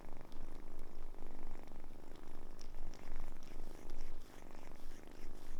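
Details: Purring from Samson, once a kitten saved from a car being serviced, now fully grown: a close, dense rumbling drone pulsing in even breaths, loud and continuous throughout.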